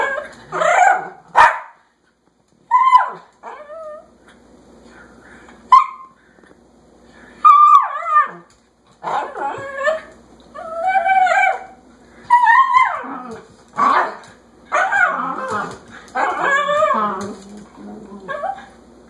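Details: Dog eager to go outside yapping loudly: sharp isolated yips spaced a couple of seconds apart, then a denser stretch of whining, wavering cries and quick yaps toward the end.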